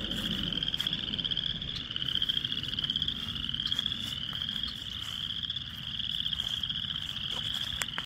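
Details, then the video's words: A dense frog chorus in a small wetland on 4/8/24, many high, rapid trilling calls blending into one continuous shimmering drone. "Many frogs singing in a small wetland 4/8/24."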